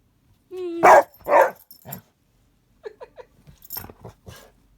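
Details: Two rescue dogs, Kyla and Knight, playing together indoors on a wet, icy day. Two loud, harsh barks sound in quick succession near the start, then a softer yelp. Short, quiet yips and a human voice follow.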